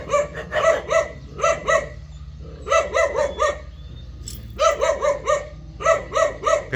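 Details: Jindo dog yipping in quick clustered bursts of three to five sharp harmonic notes, groups separated by brief gaps across nearly seven seconds, with a low constant hum underneath.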